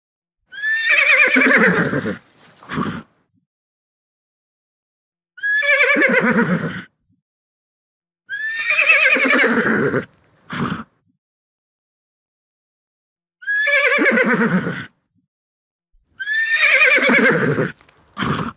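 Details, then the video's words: Domestic horse giving five loud, trembling whinnies spread over about eighteen seconds, each falling in pitch and usually followed at once by a short, sharp snort-like burst. "SOM DE CAVALO"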